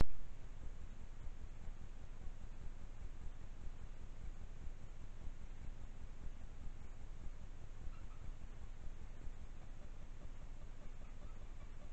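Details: Quiet night-time trail camera recording with only faint low hum and hiss, no animal calls.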